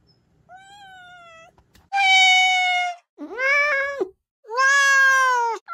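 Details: Close, loud meowing from a young mountain-village cat, meant to repel country rats: a soft level meow, then three strong drawn-out cries, the middle one dipping and wavering, in a quiet room.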